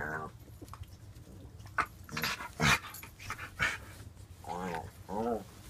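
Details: A five-month-old white French bulldog puppy and a five-year-old blue nose pitbull indoors; short wavering, tonal whining vocalizations near the start and twice near the end, with snorts, scuffling and human voices between.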